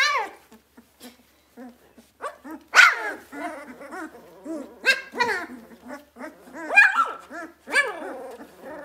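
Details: Two-week-old Vizsla puppies, just finding their voices, whine and yelp in high, wavering squeals, with several voices overlapping.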